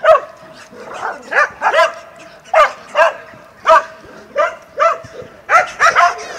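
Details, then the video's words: Barking from dogs in Mazovia, Poland, recorded in 2021: uneven single barks and short yipping doubles, some with a rising then falling bend, spaced about half a second to a second apart. "Szczekające psy"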